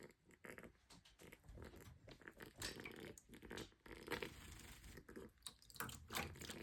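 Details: Pig in a bath, excited, giving a dense run of quick, rough grunts and squeaks one after another with barely a pause, harsh and noisy throughout.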